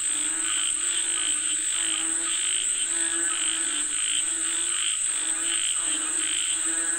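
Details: Frogs call for rain in a steady chorus of grating, pulsed croaks, one burst after another, with a persistent piercing tone sustained in the background.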